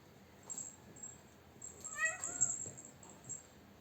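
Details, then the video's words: Pet cat named Miki, teased and easily provoked, gives one drawn-out harmonic meow that rises then falls, heard indoors against quiet room noise with faint clicks before and after. "বিড়াল 🐈 (মিকি)কে সহজেই খেপানো যায়"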